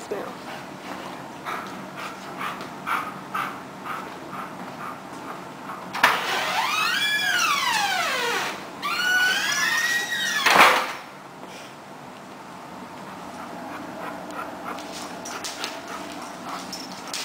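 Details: Eight-year-old male Alaskan Malamute chasing his tail, giving two long, loud arching whine-howls that rise and then fall, one after another in mid-clip, with scuffling and soft knocks before and after.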